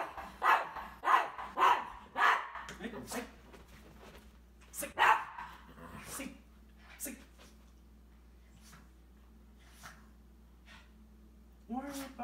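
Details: Cavalier King Charles Spaniel Isabelle barking and jumping around a vacuum cleaner with her favourite toy ball; a fast burst of barks at the start, then sparser ones, with a person speaking and a low hum behind.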